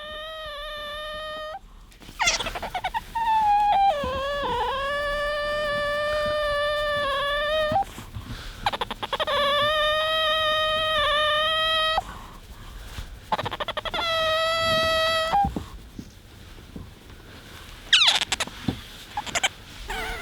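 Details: Bingo, a pet otter, wanting attention and being affectionate: long, steady high squeals in several drawn-out bouts separated by brief pauses and clicks, with some background noise.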